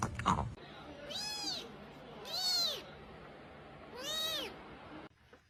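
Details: Domestic cat giving three drawn-out meows, each rising then falling in an arched, harmonic-rich tone, spaced about a second and a half apart, with a brief knock or thump just before the first and quiet room noise between.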